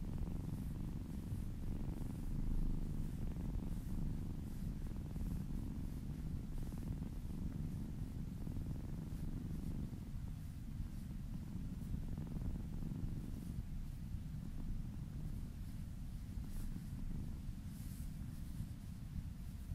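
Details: Domestic kitten purring softly while being massaged, close and intimate ASMR recording; a low, steady rumble with faint breath rhythm, quieter and more diffuse than a sharp close-up, with no other clear sounds.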